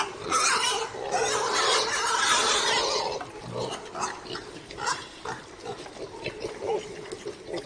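A pig gives a loud, harsh squeal, then a run of short, rough grunts.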